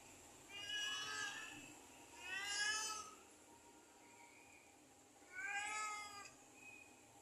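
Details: Cat giving three drawn-out, high meows spaced a few seconds apart, each rich and wavering, the middle one loudest, with a faint steady hum underneath.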